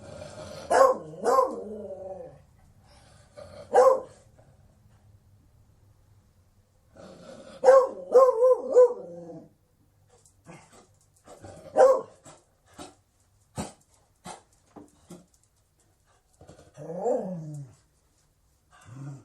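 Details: A Beagle barks and bays in scattered bursts: long wavering howled notes, short sharp barks and a lower groaning howl near the end, separated by quiet gaps.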